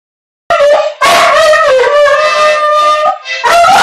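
An English Bull Terrier howls in long, wavering, sustained tones, 'singing' along with a child's voice.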